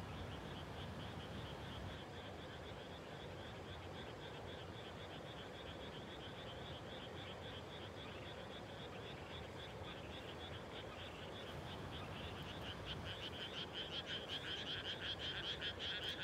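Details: Frogs calling at dusk just after rice planting in the Japanese countryside: a dense, steady chorus of rapid pulsed croaks, louder and clearer in the final seconds, over low rumbling background noise.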